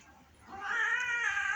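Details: Domestic cat indoors, called to come and eat; one drawn-out meow, quiet at first, then swelling into a loud, rich, slightly wavering wail that holds steady for about a second.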